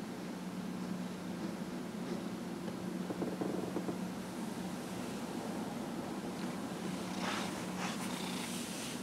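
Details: Dillard, a 15½-year-old pet cat, purrs while being massaged on January 31, 2018. A steady, low continuous rumble with a faint hum runs throughout, and light rustling from handling rises near the end.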